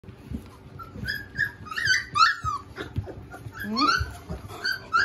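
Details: Three-week-old Golden Retriever puppies giving high, squeaky whimpers and yelps that rise and fall, several overlapping calls every fraction of a second, with soft low thumps underneath.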